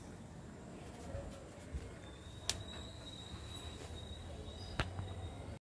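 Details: Low mechanical rumble with scattered clicks and knocks, plus a long, steady, high squealing tone. No animal voice is heard.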